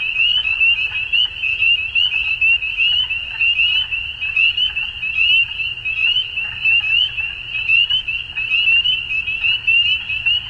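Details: At dusk, frogs form a thick, high, buzzing chorus of fast repeated pulses, roughly seventy bursts a minute, irregularly spaced and overlapping, over a faint low hum.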